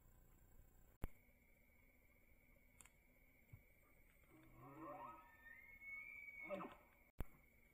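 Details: A bull elk bugles on public land in Idaho during the rut, caught on a trail camera: a low, rough start climbing into a thin, high whistle that slides back down.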